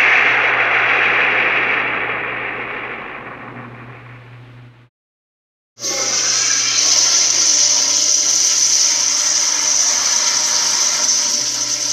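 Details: A toilet flushes with loud rushing water that fades, then a brief silence, then a steady hiss of refilling water; no animal is heard.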